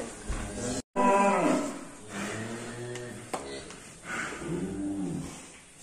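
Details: Cattle lowing, a deep drawn-out moo rich in harmonics that swells and fades over several seconds, then a second softer low moo; faint room echo and a distant voice in the background.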